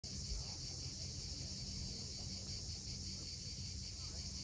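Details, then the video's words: Cicadas at sunset on the steep coast of Cape Fiolent, Crimea: a steady, unbroken high hissing drone fills the air, over a low rumbling wash of sea waves below. "Cicadas at sunset."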